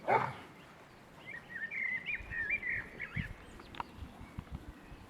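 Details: Boston Terrier puppies aged six weeks whine in a wobbly high chain of short, bending squeaks lasting a few seconds, after a sharp thump at the start, with faint low knocks underneath.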